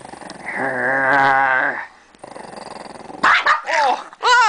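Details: Pet dog growling in frustration as its bone is taken away by two people, a long rumbling tonal growl, then a pause and sharp whiny yelps and snarls, with a person speaking softly.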